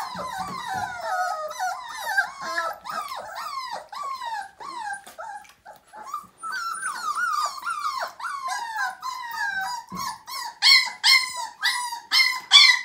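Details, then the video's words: Siberian Husky puppy, five weeks old, whimpering through its first bath: a steady stream of high, wavering, falling cries, several per second, with a louder run of yelping whines near the end. "Siberian Husky Puppy First Bath: 5 Weeks Old"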